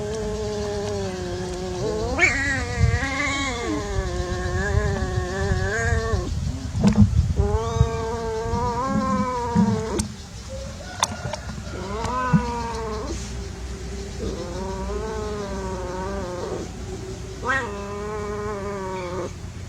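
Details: Cats at play, billed as unsuccessful love, trading a run of wavering, moaning yowls separated by short pauses, a brief lull halfway through, with low background rumble and occasional clicks.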